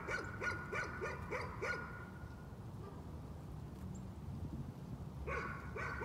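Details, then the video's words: Nuisance barking from a dog, a rapid run of about six sharp barks in the first two seconds, a quiet gap over a steady low hum, then two more barks near the end. "Nuisance barking again."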